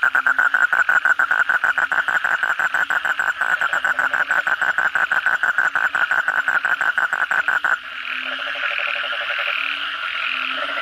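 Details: Kodok bangkong calling at night after heavy rain: a near frog gives a quick, regular run of sharp pulses, about three per second, for nearly eight seconds, then drops out, leaving a softer chorus with a faint rattling trill.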